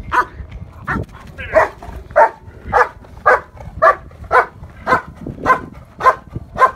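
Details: Schutzhund protection work with a decoy: German Shepherd Yukon vom Patiala, preparing for an IPO trial at Bay Area K-9 Training, gives about eleven forceful barks in a steady rhythm, roughly two per second.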